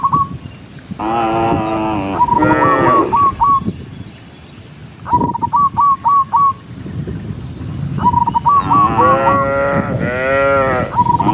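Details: A herd of big-horned cows walks together while being driven, giving loud drawn-out moos in two main bursts. Bright, rapid high chirps come in short strings between and over the lowing.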